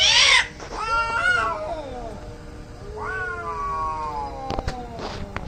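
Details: Two angry cats in a fight: a harsh hiss-like burst opens, then bending, wavering yowls answer each other, followed by clicks and knocks near the end.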